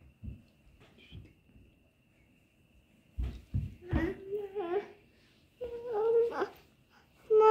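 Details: Kittens giving a few short, tonal meows that rise then level off, separated by soft thumps and rustling, with quiet gaps between the bursts.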